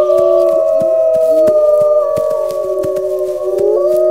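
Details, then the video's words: Wolves howling together in a dense chorus of several sustained voices at different pitches, some sliding up and down across each other, over faint rhythmic clicking. "Wolves Howling"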